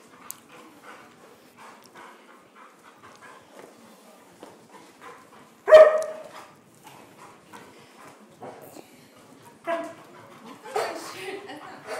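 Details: German Shorthaired Pointer named Bella, at play indoors: quiet scuffling and soft yips, then one loud, sharp bark midway, followed by two more rough barking bursts near the end.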